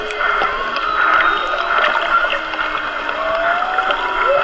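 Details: Hydrophone recording of a mother and baby whale near a boat off Maui, 22 March: layered drawn-out tonal moans and upward-sliding whistles, with one short rising squeal near the end, under constant hissing water noise.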